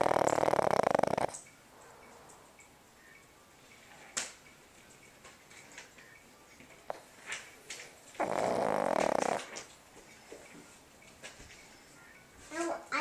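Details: A female Boston Terrier sleeping at night snores in loud, rasping bursts separated by several seconds of quiet breathing.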